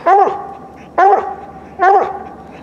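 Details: Squirrel hunting dog barking at a tree linked to squirrel nests: three loud, sharp barks spaced about a second apart, each with a bright harmonic stack, clean background between.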